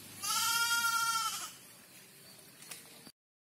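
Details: Freshly bathed goat, seemingly frightened, lets out a single drawn-out, steady, nasal bleat of just over a second, followed by quiet background noise and a faint knock.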